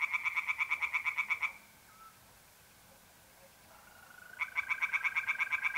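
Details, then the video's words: Tree frog calling at night by a pond in mid April, North-East Italy: a burst of quick pulsed croaks, a pause filled by a soft mole cricket trill, then the pulsed calls resume. "relaxing singing tree frogs in pond and trilling mole crickets by night"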